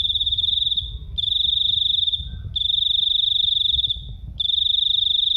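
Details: Loud, shrill cricket chirping, a narrow high tone sung in long pulsed trills lasting about a second each, separated by brief pauses, over faint low background rumble.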